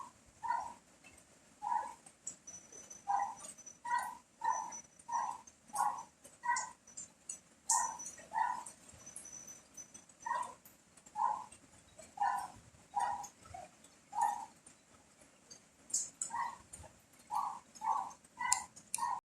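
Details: Dog barks in rain and strong wind, steady mid-pitched yaps in loose bursts with short pauses between them, set against continuous rain hiss and wind noise.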